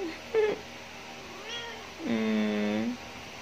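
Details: Pet cats at home: a short high meow, then a faint rising mew and a long, steady, lower meow with clear harmonics lasting almost a second, indoors in a small room.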